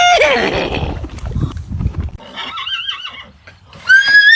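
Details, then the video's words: Horse neighing amid a lively human scene: a sharp falling cry at the start, a wavering high whinny in the middle and a rising squeal at the end, with people laughing and shouting throughout. "Funny horse neighing sounds"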